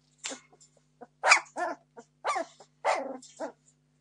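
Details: Entlebucher Mountain Dog puppies, 17 days old, of the Torfheide D litter born 26 September 2015, demanding food: a run of short squealing yelps and whines, some rising then falling, in bursts of about half a second with brief gaps.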